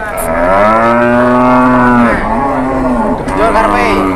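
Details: Angry, charging cow bellowing at a cattle trade: a loud, sustained, deep moo lasting about two seconds, a brief dip, then a second drawn-out moo, with faint background voices.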